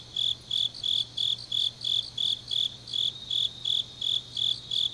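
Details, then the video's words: Late-night autumn chorus of grass insects from Changnyeong, Korea: shrill pulsed chirps repeated close to three times a second, evenly spaced, over a quiet background with a faint steady hum. "깊은밤 가을 풀벌레 소리"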